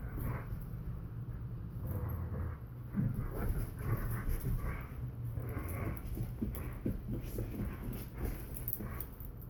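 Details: Borzoi and collie puppy at a game of tug: rapid panting breaths broken by short rough growly bursts, set against a constant low droning hum.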